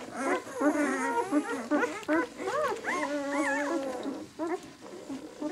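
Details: Six-day-old White German Shepherd puppies from the B litter of the "of White Night" kennel whine and squeal almost without pause, overlapping wavering, arched cries in quick succession, some rising and falling in long bends.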